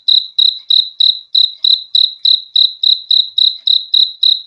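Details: Steady cricket chirps, sharp high pulses repeated roughly every third of a second in a regular train, recorded cleanly with no background noise.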